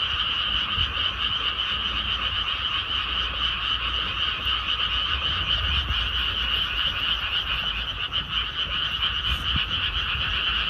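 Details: Rice paddies after planting, full of calling frogs: steady overlapping trills of quick croaking pulses in a high and a mid band, unbroken chorus with a faint low rumble beneath.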